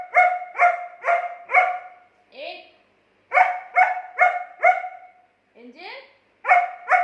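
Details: German Shepherd dog talking back to its owner in an argument, giving quick runs of four clear tonal barks, separated by brief pauses with softer rising whines.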